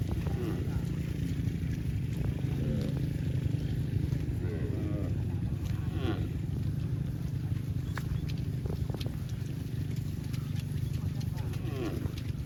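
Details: Cow running back to the barn, giving several low, drawn-out moos with layered harmonics, scattered through the recording, over a steady heavy low rumble.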